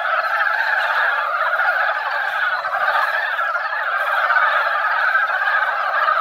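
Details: Many Dybowski's brown frogs gathered in a quiet mountain pond after a light rain that barely wet the ground, at their yearly spawning time, croaking together in a dense, unbroken, roaring chorus with no pauses for the full stretch.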